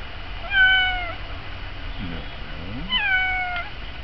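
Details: Pet cat Sophie, eager to go outside to birds at a feeder after her meow scared them into the trees, gives two drawn-out, slightly falling meows about two seconds apart, with a brief low human voice between them.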